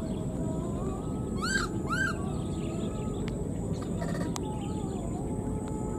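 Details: A left-behind wild newborn monkey cries for its mother with two quick, arching, rising-then-falling squeals about half a second apart, set against constant low-pitched background hum and a few faint ticks.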